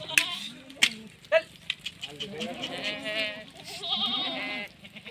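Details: Female Sirohi goat on a goat farm in Rajasthan, India, giving wavering, quavering bleats in two drawn-out bursts of about a second each in the second half, after scattered knocks and a man's brief Hindi speech.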